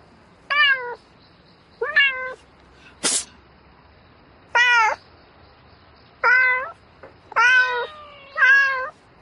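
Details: Short, descending then rising harmonic meows from a domestic cat calling for a mate at night, about seven calls at irregular intervals, one sharp broadband knock near three seconds, otherwise quiet background.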